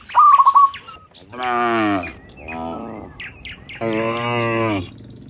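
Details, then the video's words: Cows herded in a large group from the fields back to the pen in the afternoon. They give two loud, long moos and a softer one in between, with a bright bird chirp and twitters heard first. "Herding Dozens of Moo Cows Walking Home from the Fields to the Pen in the Afternoon, Sound of Cows"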